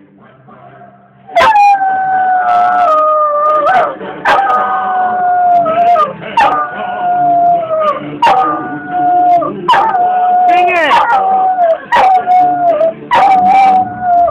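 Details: An old cocker spaniel in a bedroom howls along, as he does every time, with the JG Wentworth TV commercial. Sustained, wavering howled notes slide downward and repeat about every two to three seconds, broken by sharp clicks.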